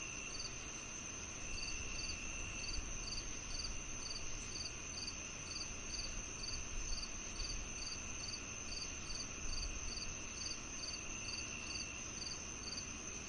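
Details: Quick paired high chirps from crickets repeat rhythmically, about twice a second, on top of a constant lower insect drone and faint low outdoor rumble.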